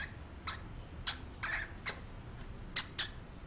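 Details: Real hamster squeaking: short, sharp, very high-pitched squeaks come in separate bursts, roughly seven in under four seconds, some doubled. A faint steady hiss lies underneath.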